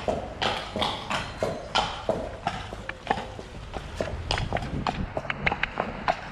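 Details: De Goot Damon, a Shire horse from Ostsee Shires, on the way to pick up a new boarder from Falkendorf on 2 May. Quick, uneven hoof knocks sound over a low background hum.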